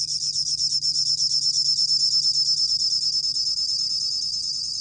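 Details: Bell cricket song recorded by the National Institute of Biological Resources in 2020: a continuous high, ringing trill made of fast, even pulses, about three per second, steady throughout with a faint low hum beneath.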